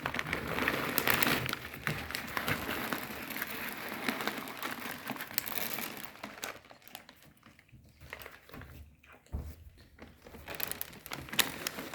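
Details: Crinkling and crumpling rustles fill a small indoor room, with faint voices in the background and no animal calls.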